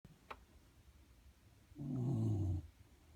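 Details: Shiba Inu asleep under a desk, giving a single low, rough snore lasting under a second amid quiet indoor background.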